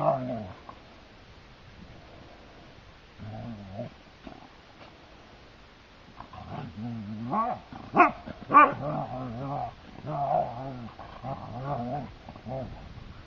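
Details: Two Siberian Huskies play fighting out on the heath: deep, rough, wavering growls come in bursts, a short one at the start, another near four seconds, then a longer tussle of rumbling, rising and falling growls with a few sharper yelps.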